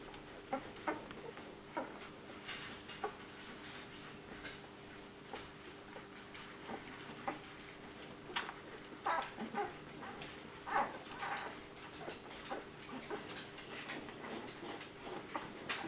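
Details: Nine puppies jostling for milk indoors, giving short high whimpers and squeaks scattered through the stretch, busiest toward the middle, over steady rustling, suckling and shuffling noises.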